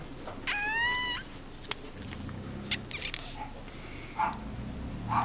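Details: Newborn Mame Shiba Inu puppy at a Japanese kennel, cord still attached; one short, thin, high squeal near the start, then faint rustling, clicks and soft handling noises.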